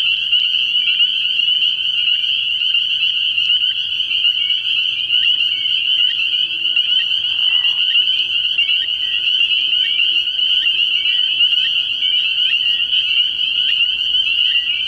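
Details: Spring peepers in full chorus at a nighttime frog pond in early spring, constant shrill peeping throughout with many brief rising whistles scattered across, plus a brief softer lower sound midway.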